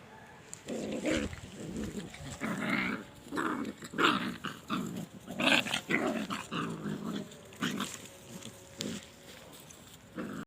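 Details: Puppies fighting, with bursts of rough growling and short snarling yaps in uneven rhythm, some overlapping, roughly forty bursts a minute, separated by brief quiet gaps.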